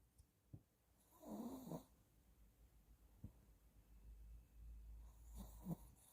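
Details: Sleeping Shih Tzu snoring softly: a raspy, rumbling breath near 1.3 seconds, brief snorts at 0.5 and 3.2 seconds, and a faint second snore around 5.6 seconds over quiet indoor background hum.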